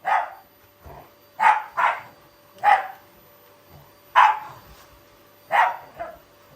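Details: Shiba Inu dog, a loving family pet, growling playfully rather than angrily while attacking a vacuum cleaner alongside a Labrador; short harsh bark-like growl bursts come roughly every second, some in quick pairs, over a faint steady hum.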